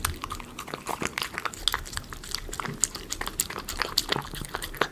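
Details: Indoors, a Miniature Schnauzer eats premium chicken pot pie dog food close to the recorder: crackly crunching bites and wet chewing clicks, steady and uneven, with faint room hum.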